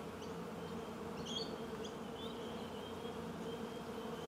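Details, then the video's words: Steady low humming of bees fills the short recording, overlaid by small high twittering chirps from birds in the background, before cutting off abruptly at the end. "Прекрасное жужжание пчёл"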